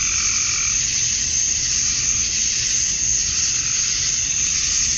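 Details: A summer-dusk chorus of male cicadas in Georgia, USA, calling to attract females, gives a continuous shrill hiss-like drone. Softer, lower tones sound only in the opening second, then the steady high buzz alone remains.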